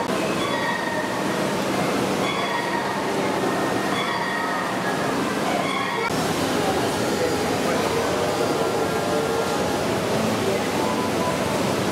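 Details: Constant roar of a moving train with rumbling wheels and faint high squeals.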